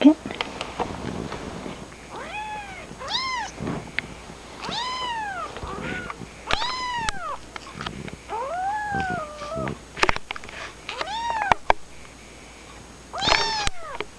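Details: Kittens mewing repeatedly, over a dozen high, bowed cries, some long and wavering, others short and clipped, with faint rustling and occasional quiet human voice in the background.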